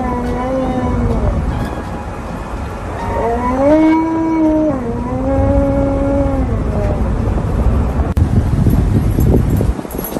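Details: Angry at wearing a seatbelt in the car, Tonka the Alaskan Malamute lets out sustained, rising-and-falling howls, rich in overtones, then goes quiet as road noise and rustling take over.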